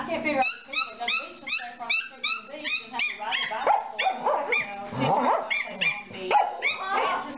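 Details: A corgi, described as confused, gives rapid, high, yelping vocalisations, rising and falling, repeated about twice a second over seven seconds, with a person's voice mixed in.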